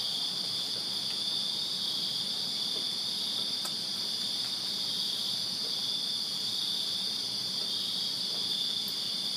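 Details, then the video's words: Continuous summer-night cricket chorus from a Virginia backyard, bright high-pitched chirping merging into one unbroken ring, with a couple of brief faint clicks. "Crickets Chirping Summer Night in Virginia"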